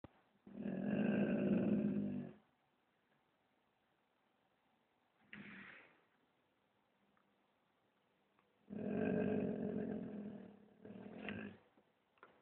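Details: Alfie, a black Labrador, growls indoors whenever someone walks past the house: two long, low rumbling growls of about two seconds each, with a short grumble between them and a brief final burst, in a quiet room.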